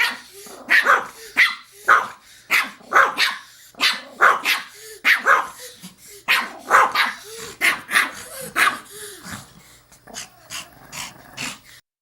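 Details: Small Pomeranian dog barking in a steady rapid series of shrill yaps with brief whimpering notes between, the barks softening toward the end before silence.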